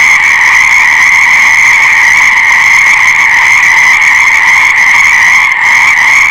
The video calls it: Fascinating Frog Sounds : Nature's Breathtaking Symphony